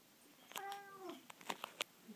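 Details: Soft-spoken pet cat at home answering a person: one quiet, drawn-out mew that slides slightly downward for about half a second, followed by a few sharp clicks.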